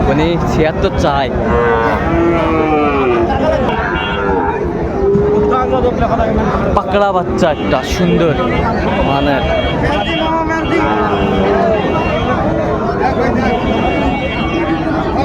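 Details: At Raniganj market, Dinajpur, on 27 June 2024, Sahiwal-breed bull calves low repeatedly. Long, wavering moos follow one another almost without pause, with a background murmur of crowd voices.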